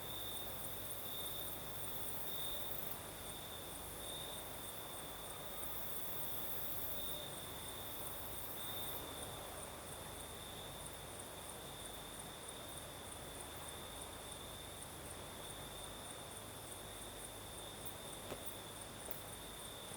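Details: Crickets singing at night in the south of Crimea, a steady high-pitched trill with gentle pulsing, joined by a fainter, even higher shimmering chorus over the soft broad hiss of a night breeze.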